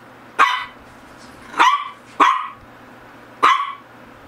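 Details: Four loud, punchy barks from a Shih Tzu of the GGung and SSong pair within about three seconds, each with a hard onset and brief tail, the middle two close together; faint hum behind.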